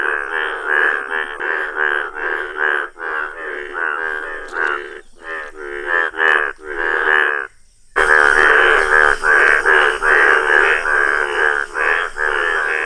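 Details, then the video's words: Yellow-coloured Indian bullfrogs calling: a dense run of rapid, nasal, buzzy croaks, about two or three per second, each rich in harmonics. There is a short pause near eight seconds, and then the croaking resumes louder over a steady high background hiss. "Rare Yellow Frog Wonderful Indian Bullfrog | amazing frog sounds!"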